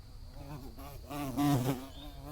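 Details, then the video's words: Bees buzzing under a blue sky: a low, wavering drone with shifting pitch that swells louder toward the middle as an insect passes close, then fades back to a softer hum. "Bees Buzzing Sounds"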